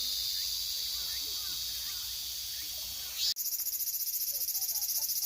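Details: Cicada singing in summer: a loud, steady high-pitched hiss that abruptly switches to a rapid, pulsing buzz of evenly repeated throbs, with faint chirps underneath.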